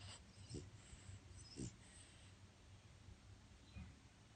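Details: Male French Bulldog sleeping in his crate one afternoon, snoring: low, rough, throaty snorts repeated roughly once a second, with soft breathy noise between them in a quiet room.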